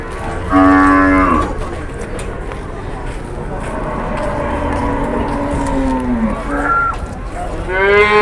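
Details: Large cattle out walking to the market in Indonesia: a harmonic-rich moo from 0.5 to 1.4 seconds, a long low drawn-out moo through the middle that dips at the end, then a short call and a rising bellow at the close, over a busy background.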